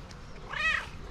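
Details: Affectionate pet cat Mashinka replies to her owner with one clear, arched meow that rises and falls within half a second, set against faint room hum.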